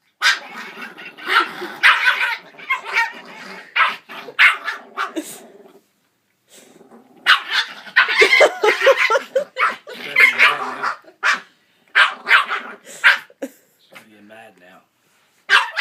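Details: Puppy barking at a jingle bells singing Santa toy dog it has always hated: bursts of sharp, harsh barks in quick clusters, a short quiet gap midway, then more rapid barking and a few softer yips near the end.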